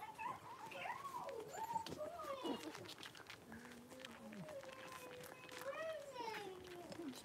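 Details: Blenheim Cavalier King Charles Spaniel puppies, a litter of five born at New Year with their mother Paris, in an indoor puppy pen; high wavering whines glide up and down with bright overtones, drawn out and repeated, over soft background noise.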